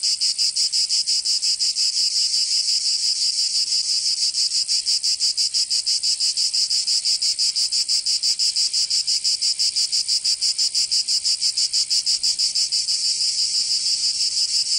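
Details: Provençal cicadas in summer, southern France: an intense, high-pitched, grating song of fast even pulses, roughly three per second, sustained without pause over the whole stretch.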